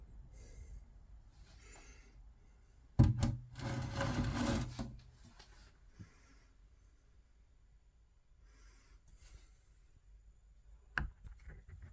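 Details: Rubbing and rasping handling noises in a small room, with a sharp knock near the end and no animal calls. The rest is quiet background.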